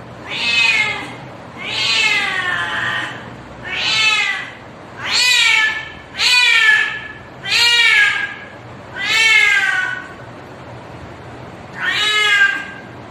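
A cat gives long, wailing yowls, each rising and falling, repeated every second or two to call a mate.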